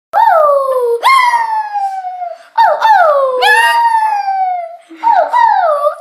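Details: Japanese Chin dog howling; a few long wavering howls, each starting with a sharp rise then sliding slowly down, with brief pauses between them and a short soft whimper near the end.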